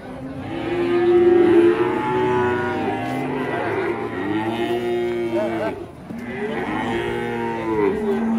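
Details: Cattle in Indonesia moo repeatedly: a loud sustained low at the start, then more overlapping bellows that rise and sag, with a brief pause before a final long moo, amid music and applause.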